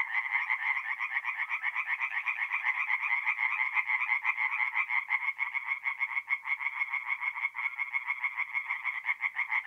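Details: Singing tree frogs at a forest pond by night in mid-April, North-East Italy, producing a steady, loud, buzzy chorus of quick repeated croaks, overlapping voices forming a continuous throbbing drone.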